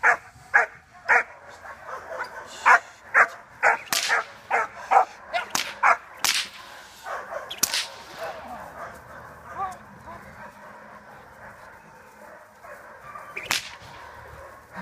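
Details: German Shepherd puppy, 4½ months old, barking during protection training for sport work: a rapid run of about fourteen short, punchy barks spaced roughly half a second apart, fading into quieter sounds with one last bark near the end.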